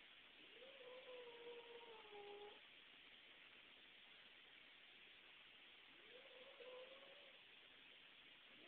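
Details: Newly adopted cat reacting to a visitor with two drawn-out, wavering meow-like wails, the first nearly two seconds long, the second shorter and rising, heard faintly over a steady loud hiss of background noise.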